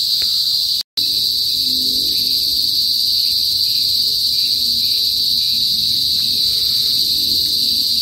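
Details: Loud kuliglig, the cicadas of a northern Philippine province, heard usually before sunset: a continuous piercing electric whine held at one high pitch. It breaks off completely for a split second near the start, then resumes unchanged.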